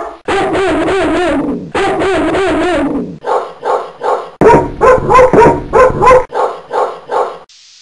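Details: Dogs barking in Coffs Harbour, New South Wales, Australia: bursts of loud, rough, rapid barks in quick runs, then a pause and a higher series of sharp, yappy barks with whiny overtones.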